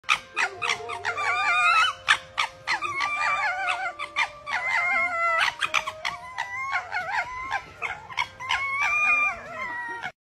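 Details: Two foxes making laughing sounds: rapid chattering bursts of high, wavering notes, several per second, mixed with sharp clicks and a steady faint tone underneath throughout.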